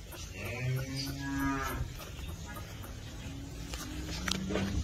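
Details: Holstein Friesian heifers for sale, one giving a rising harmonic moo that peaks near mid-clip, then a quieter steady low call and a short moo near the end over barn background.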